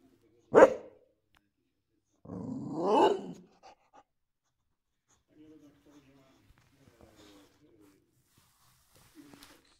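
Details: A Boxer dog reacts to his new piggy toy with one sharp bark, then a longer rough, groaning bark-growl, followed by soft low whines and small rustles in a quiet room.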